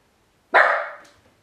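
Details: Ylva the Miniature Pinscher, alone in the house outside her kennel for the first time: a single loud, sharp bark that fades quickly, followed by quiet.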